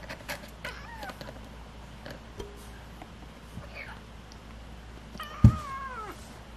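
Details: Stray cat and kittens, part of a rescued cat family: faint thin meows early on, then a louder bent meow after a sharp knock, over low background hum.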